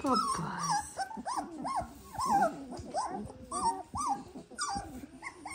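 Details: Dalmatian puppies, 18 days old, squealing and whimpering in a litter: short arched whines rising and falling, several overlapping voices, repeated in irregular bursts about every second or two, with soft low grunts between.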